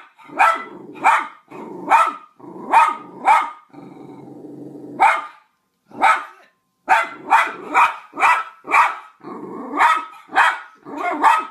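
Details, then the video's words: Dog barking over a Skype call: sharp, harsh barks in quick bursts of two to four, with short pauses and a low growly stretch near the middle. "Важные перегавки по скайпу"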